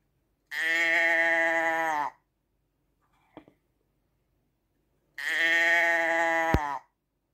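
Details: Two drawn-out nasal sheep bleats about three seconds apart, with a brief soft knock in the quiet gap and a sharp click during the second bleat.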